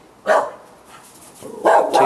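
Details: Dog barking at night on 18 July 2013, one sharp bark, a gap of over a second of quiet, then two rough barks close together.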